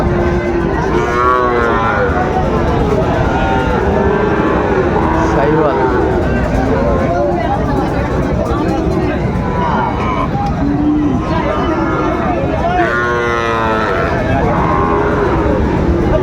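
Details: Market-day lowing from Sahiwal bull calves at Raniganj on 25 July 2024: scattered moos rise near the start and again late on, with busy human voices and traffic-like rumble throughout.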